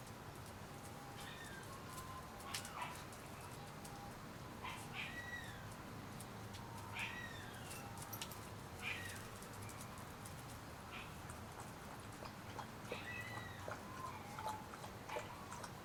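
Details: Shiba Inu puppies, 30 days old, being raised at a kennel: thin, high whining whimpers with falling tails, repeated several times in scattered bursts over quiet background hiss.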